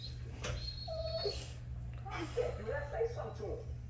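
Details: Rottweiler; whining; asking for food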